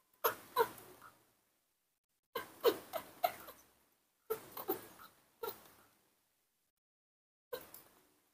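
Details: Sick newborn baby monkey whose illness has recurred, with a swollen eye and hands, being cared for indoors, gives short wavering whimpering cries in clusters of two or three, separated by silent pauses of one to two seconds.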